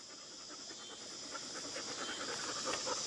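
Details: One of the pet dogs Lexy, Peyton, Ryder and Mollie pants rapidly, with soft airy breaths repeated roughly three times a second over a constant hissing background.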